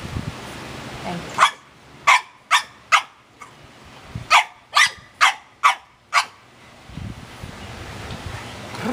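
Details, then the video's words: Pet dog barking and 'talking' at home: about ten sharp, loud barks in two quick bursts, roughly two per second, with a short pause between bursts and faint human voices before and after. "Talking Dog!"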